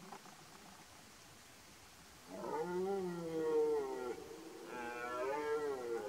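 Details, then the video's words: Twelve-point red deer stag bellowing in the 2023 rut, Poland: two long, strained harmonic roars, the first about two seconds and wavering, the second shorter and rising at its end, over quiet background. "Rykowisko 2023r Napalony 12-stak:)"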